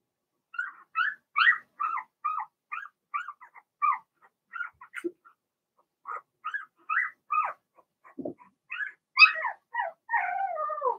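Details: Blenheim Cavalier King Charles Spaniel puppies from Remy's first litter of six, two girls and four boys, whelped March 7th–8th, in a home puppy pen: a long run of short, high squeaky whimpers, irregularly spaced, with a few deeper drops between.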